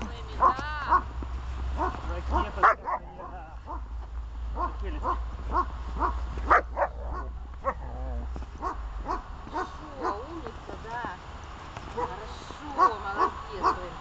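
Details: Dog named Glemmy in protection training barks at intervals, giving short, harsh barks. A low rumble runs underneath for the first half, and a voice is also heard.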